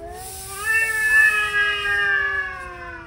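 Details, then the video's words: Angry male cats in a heated argument; drawn-out wailing caterwaul, steady tonal howls slowly rising and falling over three seconds, with a second voice overlapping, and steady hiss-like background noise. "Angry male cats hot argument"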